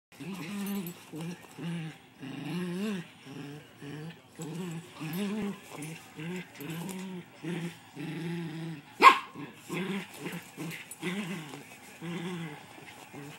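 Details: Two miniature pinschers playing with each other, one inside a cat carrier; short growly, harmonic vocal bursts repeat about twice a second throughout, with a sharp loud knock near the end.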